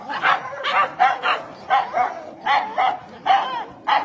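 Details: Dog barking in a naughty-dog clip, short sharp barks in quick succession, roughly two per second, some doubled, with a steady noisy background throughout.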